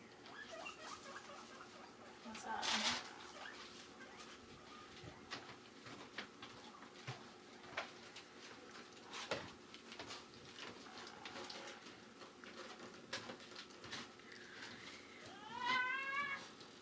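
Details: Pet guinea pigs give loud, high rising squeaks whenever they hear a bag crinkling, expecting lettuce, while a person talks nearby.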